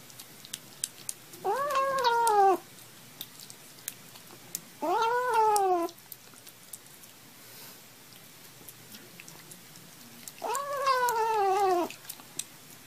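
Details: Kittens meowing indoors: three drawn-out, slightly wavering meows, each about a second long, spaced several seconds apart with quiet between them.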